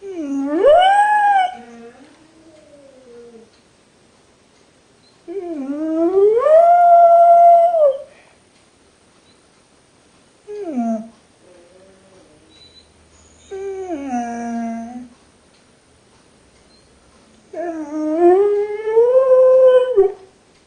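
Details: Pet dog left in a kennel while its owner drove away, complaining with five drawn-out whining howls, each rising to a high wavering tone then falling, separated by short quiet gaps and soft whimpers.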